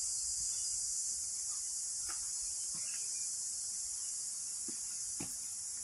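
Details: Loud crickets calling beside a stream on a hiking trail up Needle Hill, a dense, steady high-pitched shimmering trill that holds unbroken throughout, with faint rushing stream noise and a few brief knocks underneath.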